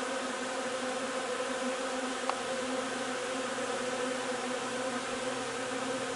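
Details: Honey bees at the hive collecting linden nectar, 3 June; continuous layered buzzing hum holding an even pitch, with one brief tick partway through.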